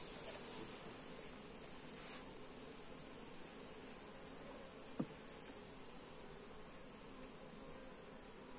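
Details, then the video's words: Hive of honey bees opened for inspection, recorded on a Xiaomi Redmi Note 8 phone; continuous dense droning hum throughout, with one sharp tap about five seconds in. "Hive inspection - Bee sounds"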